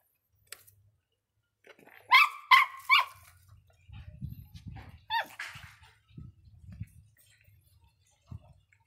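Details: An angry Miniature Pinscher gives three sharp, high barks in quick succession, then a single later bark, with low rumbling noise and quiet background thumps between them.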